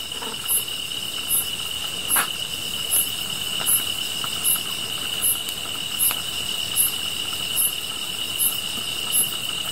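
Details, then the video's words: Grass insects calling next to a fire, a constant high ringing drone with very high chirps repeating about every 0.8 seconds, twelve chirps, plus scattered faint crackles. "풀벌레 소리"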